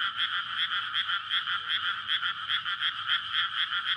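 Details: Courting frogs chorus in a water-filled rice paddy on a May night, recorded with a SONY PCM-D100. Steady, pulsing croaks blend into a loud, buzzy wall, rhythmically surging several times each second.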